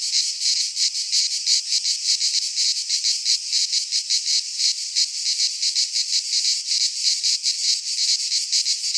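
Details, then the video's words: Cicadas of the Greek fauna singing in a pine forest in midsummer; an intense high-pitched sizzling buzz with fast uneven pulsing, several insects overlapping in a constant wall of sound. "Cicadas singing in midsummer - Nature sounds from the Greek fauna - Sounds of cicadas"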